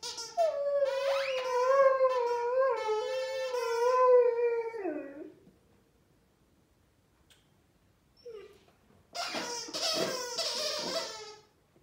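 A Rhodesian Ridgeback gives a sustained, quavering howl that wobbles in pitch and sinks at the end. After a pause comes a rougher, squeakier burst of sound from a squeaky toy.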